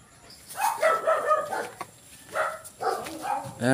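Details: Goat kids receiving 1 ml B-complex injections give several harmonic, wavering bleats in quick succession, with short gaps and a final rising nasal cry.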